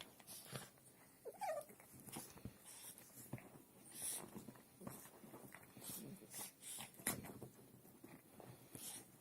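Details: Pair of dogs play-fighting peacefully indoors; a short rising whine stands out early, followed by scattered growls, snorts and scuffling thumps as they tussle.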